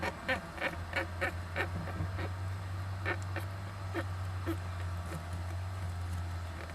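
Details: Young Japanese giant flying squirrel inside an owl nest box, recorded 19 July 2010: a run of short harsh broadband calls repeated about every third of a second, then scattered fainter ones over a steady low hum.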